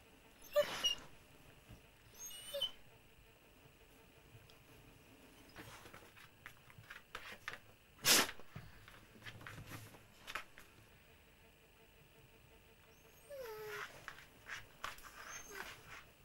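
A Basset Hound gives a few brief, high whining yelps separated by long pauses, with clicks and rustles.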